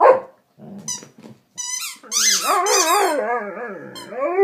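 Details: Domestic dog working a chew toy: short toy squeaks and a low gruff sound at first, then a long wobbling, quavering howl with squeaks mixed in, climbing again at the close.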